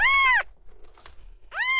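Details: At a vet visit in January 2024, male red tabby-and-white cat Miel gives two strong meows about a second and a half apart, each arching and falling, with soft shuffling in the pause.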